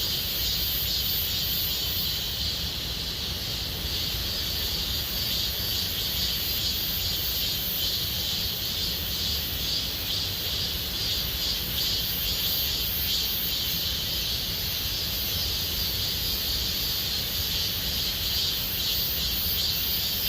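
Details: Gomsol Nuri Forest cicadas in the Siwha district as summer deepens: a long, even wall of shrill buzzing, faintly pulsed, running unbroken from start to finish over low ambient rumble.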